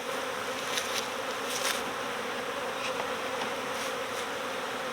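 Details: Honeybee swarm clustered in a bush while a beekeeper coaxes the bees toward a box; a dense, steady humming drone fills the whole stretch, with brief brighter buzzes from bees flying close.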